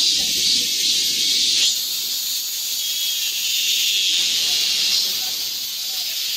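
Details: Midsummer cicada chorus in a Guro-gu park, a continuous shrill hissing drone that drops slightly in intensity partway through, with faint low murmurs in the background.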